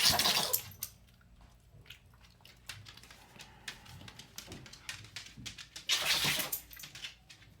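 A Boston Terrier gives two sharp, hissing sneezes, one at the start and one near the end.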